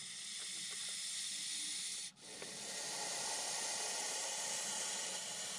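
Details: A Montpellier snake (Malpolon monspessulanus) hisses in defence against a perceived threat while someone prepares to touch it. The hiss is a continuous, bright, breathy rush with one brief gap partway through.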